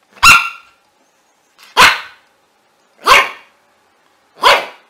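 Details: Puppy barking: four sharp, loud single barks spaced about one and a half seconds apart. Each bark is short and bright, with silence in between.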